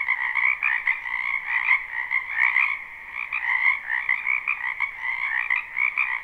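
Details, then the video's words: Springtime wetland frogs in a live recording: a thick chorus of rapid, rattling croaks layered over one another, pulsing unevenly with brief lulls and surges, and no voices or other animals audible. "Ambient Noise for Sleep Frogs"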